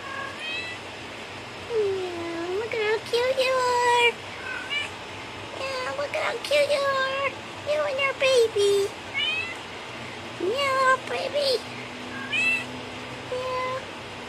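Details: Pet kittens Coral and Opal indoors, Opal recovered from swimmer's syndrome; repeated high, bent meows come in quick bursts, some rising then falling, interleaved with a woman's soft baby-talk voice saying meow and cooing.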